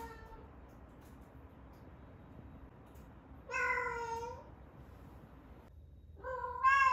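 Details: Rescued female cat Ame-chan, aged 11 months and in her first season, calls in heat indoors before her surgery. Loud, harmonic meows come in bursts a few seconds apart, each about a second long and slightly wavering, with quiet gaps between.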